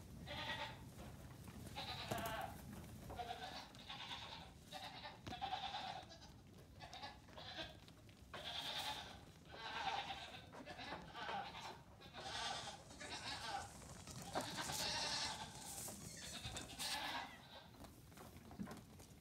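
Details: Several Nigerian Dwarf goat kids, days to two weeks old, loose on a farm during a morning pajama party; repeated quavering bleats overlap in waves, short and long cries following each other every second or two over scuffling background.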